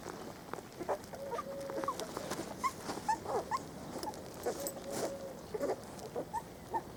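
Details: Four-week-old Spanish Water Dog puppies on their first day out in the garden, giving high squeaky whimpers and short yelps. Some notes are held at a steady pitch, others rise briefly, scattered irregularly over a low steady background hum.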